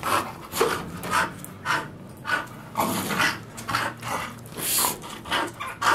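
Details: Bull Terrier indoors playing with a solid bicycle tyre wrapped in nylon thread, panting in quick breathy bursts, close to two per second, with short pauses between them.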